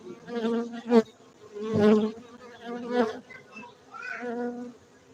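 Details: Honey bees at a honey bee beekeeping centre in Gayo, Bener Meriah, Aceh, Indonesia: a steady low droning hum with rich overtones, swelling into louder buzzing bursts about once a second as bees pass close.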